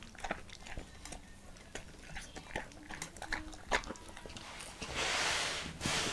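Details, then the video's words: Apple-eating Leonberger dog indoors, with crisp irregular crunches and smacking chews spaced unevenly, then a louder breathy rushing noise near the end. "ASMR LEONBERGER DOG EATING APPLE"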